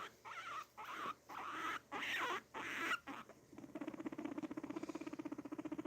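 A guinea pig rumbles with a fast, low, buzzing stream of pulses after a man speaks.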